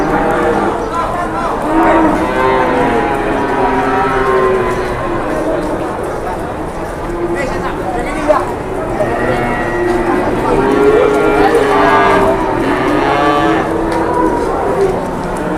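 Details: Several cattle lowing at an Indonesian livestock market during trading, with long, wavering moos rising and falling in pitch and overlapping amid constant crowd noise and voices.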